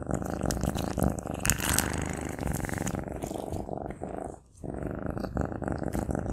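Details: Maine Coon cat eating sausage, recorded close up: a steady low rumbling purr-like drone runs under sharp, irregular chewing clicks and smacks, with a brief quiet gap near the end.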